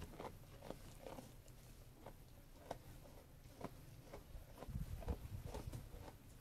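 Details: Feeding sheep munching food: repeated crisp bites and grinding crunches at an uneven pace, with a low, muffled rumble swelling toward the end.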